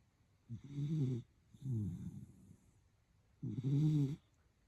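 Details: Sleeping Schnoodle, eyes open yet fully asleep, snoring three times in low, buzzy, drawn-out breaths of nearly a second each, with a short gap between the first two and a longer pause before the last.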